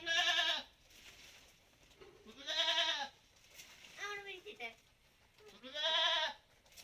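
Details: Malabari goats kept on a farm and let outside: three loud, nasal bleats about two seconds apart, each rising then falling, with a softer broken bleat between the second and third.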